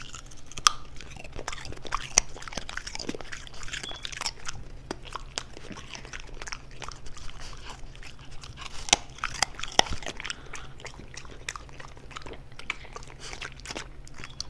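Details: A French Bulldog eating raw vegetables (carrot, broccoli, celery) indoors for an ASMR recording: repeated sharp crunches and bites over steady chewing, irregular bursts throughout in a small quiet room.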